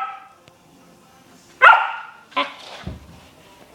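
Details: Samoyed puppy performing the "bang bang" trick: after a spoken "bang bang", one loud, sharp harmonic bark rings out, followed by a shorter second bark and a few low thumps.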